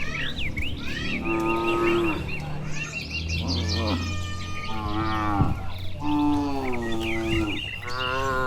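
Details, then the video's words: Dozens of healthy, tame cattle walk slowly home to their shed along a tree-lined Indonesian village road on a warm evening, mooing back and forth. Several drawn-out, low harmonic moos overlap, with high chirping sounds running behind them. "Suara Sapi Moo"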